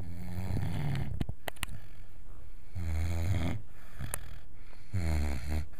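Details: A Wirehaired Vizsla pup named Max, five months old, snores in his sleep, keeping the household awake: rasping low snores about every two seconds, with a few sharp clicks and snorts between breaths.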